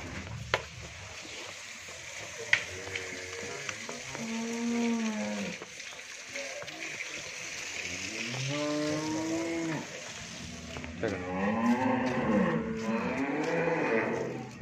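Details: Friesian cow, a first-calf dairy animal at a farm in Bhangura, Pabna, Bangladesh, gives three drawn-out harmonic moos, each rising then falling, around five, nine and twelve seconds, over a busy background hum.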